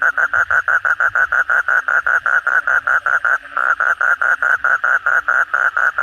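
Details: Vigorous nighttime calling of kodok bangkong, the Asian common toad, following a heavy downpour: a long, steady run of clipped croaking pulses, around five per second, broken once by a short pause midway.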